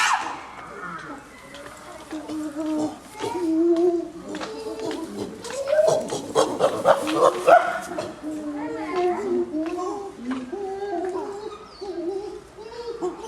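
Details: Common chimpanzees at Maruyama Zoo, filmed 22 August 2010, romping playfully together: a varied run of short harmonic hoots and grunts, rising and falling, overlapping from several animals, with a louder, denser burst in the middle.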